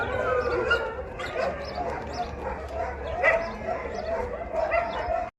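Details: Hungry rescue Siberian Huskies vocalize in the evening before dinner, with overlapping yips, barks and wavering howl-like cries over a steady hum; finding: Siberian Husky.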